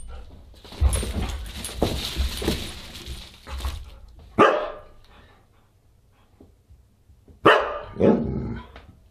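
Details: Husky at a December 27, 2022 dinner party, with noisy indoor clatter early on, then three loud, abrupt barks spaced a few seconds apart.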